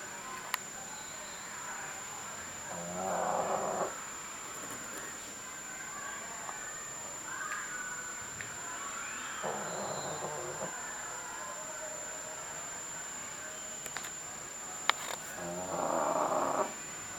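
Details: Sakura, a female pug boarding at a pet hotel, sleeping and snoring loudly as she always does, 10 November 2010; three rough, rasping snores about every six seconds with quiet breathing between, a faint high steady whine behind.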